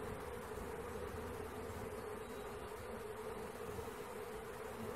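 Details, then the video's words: A swarm of honey bees during capture makes a continuous, unwavering hum at one steady pitch, with dense low rumble underneath and no breaks. "Catching Bees start to finish bee swarm"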